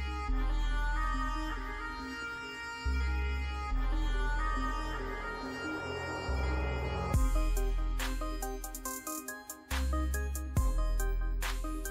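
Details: Layered instrumental music with sustained tones and a rhythmic, plucked second half; no animal sounds are heard.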